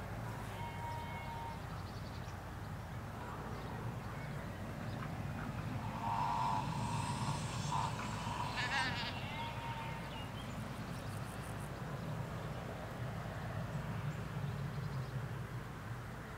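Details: Sheep in a field in the Hampshire countryside, where ewes graze with their lambs: a drawn-out, harmonic-rich bleat swells midway for about four seconds over a steady low rumble of road traffic and general countryside background.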